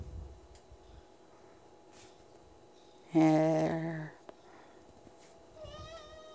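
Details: Domestic cat begging for treats by the pantry, a cat that follows its owner from room to room waiting for them; one loud, drawn-out harmonic meow lasting about a second, then a softer, higher meow near the end, with quiet indoor background.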